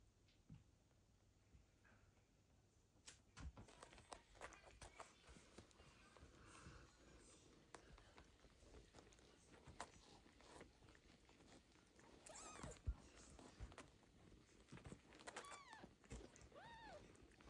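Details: Kitten Michael, who survived his mother's unsuccessful birth and is raised by foster cat Basia, fed every two hours with a syringe-bottle; a few short, high, arched mews rise and fall near the end amid clicks, rustling and handling noise.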